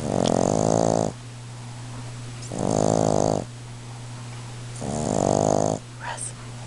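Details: Russ, a pet Boston Terrier, snoring very loudly while asleep indoors: three long, rasping, droning snores about a second each, repeating roughly every two seconds, over a steady low hum, with a faint click near the end.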